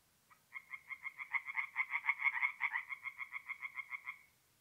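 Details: Single tree frog call series from a north-east Italian forest pond on an April night: roughly twenty rapid, rasping croaks over four seconds, swelling louder in the middle and fading at the end, against silence.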